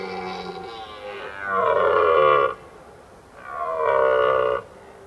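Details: Red deer stag in autumn rut in forest at evening, bellowing to attract females and warn off rival males; a soft lead-in groan, then two long, guttural, harmonic roars of about a second each, separated by a short pause.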